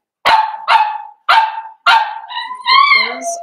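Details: Young blenheim Cavalier King Charles Spaniel from a litter of five kept in a home puppy pen gives four sharp yelping barks roughly half a second apart, then a wavering, higher whine in a small room.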